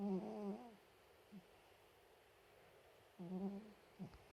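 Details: Sleeping Chihuahua gives a low, buzzing, slightly wavering snore and a brief snuffle. After a pause of more than two seconds, a matching snore and snuffle follow in a quiet room.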